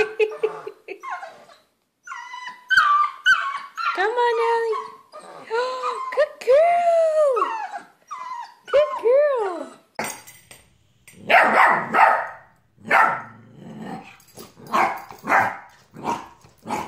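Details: Playful Bernese Mountain Dog puppy indoors, producing a series of drawn-out, arching howling whines that rise and fall, several in a row, followed by excited human voices calling out repeatedly over the dog.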